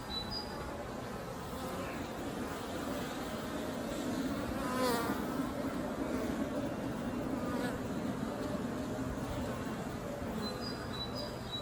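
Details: Honey bees returning to the beehive with pollen on their legs fill the air with a steady, low, droning buzz from many wings at once.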